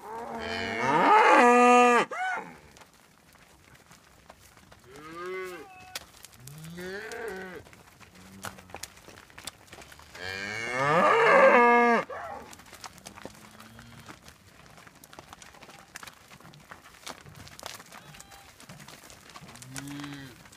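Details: Highland cattle and their Whitebred Shorthorn calves being moved to a new field; two loud, rich moos lasting about two seconds each, about ten seconds apart, with softer, shorter lowing calls in between.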